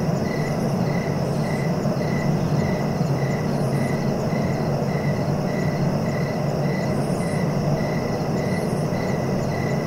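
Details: Cricket chirps for sleep, a monotonous run of short pulses close to two each second. Occasional soft high-pitched flutters appear, and a dense low rumble fills the background throughout.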